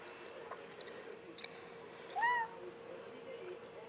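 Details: Watching birds through the back door, pet cat Tobie lets out one brief rising-then-falling mew near the middle of a quiet stretch, with a low steady hum behind it.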